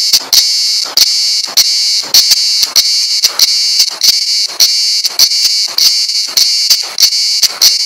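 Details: Cicada singing on Güvercin Ada (Pigeon Island), Kuşadası, Türkiye: a loud, shrill, high-pitched buzzing drone broken by brief regular dips roughly every half second, giving a pulsing, throbbing rhythm.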